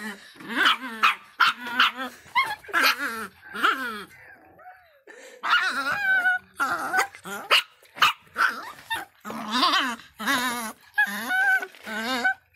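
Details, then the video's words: Fierce little miniature pinscher barking nonstop: high, sharp yaps mixed with rough growly barks, coming in rapid uneven bursts with only brief pauses. "som latidos de pinscher miniatura bravinho"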